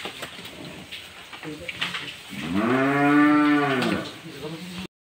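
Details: A cow giving birth to a calf at night in the dark lets out one long, low, resonant moo of nearly two seconds, after brief human speech and rustling.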